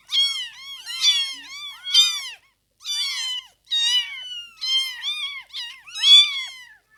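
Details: Piping cries from newborn kittens follow one another almost continuously, high and wavering with downward-curving ends, a brief pause midway before the tiny voices resume.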